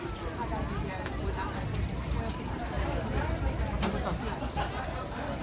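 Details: Warning rattle of an eastern diamondback rattlesnake at a festival in Claxton, Georgia: a continuous hissing, shimmering buzz without pause, while people talk nearby in the background.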